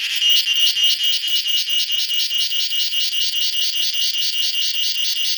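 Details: Cicada calling in a garden in the evening from a mango tree: loud metallic buzzing swelling and dipping in regular pulses, roughly two and a half per second.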